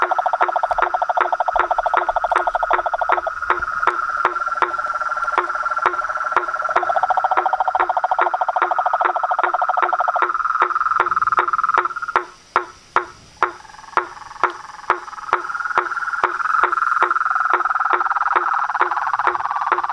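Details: Frog chorus of toads, frogs and treefrogs at a reservoir pond by a house at nightfall: dense, pulsing mid-pitched trills with steady hollow knocks roughly every 0.4 seconds; near the end the trilling briefly falls silent, exposing the knocks.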